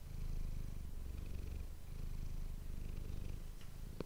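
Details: Close-up purring of Manis the domestic cat, taken with an ASMR microphone: low throbbing purr alternating between inhale and exhale phases, ending with a small click.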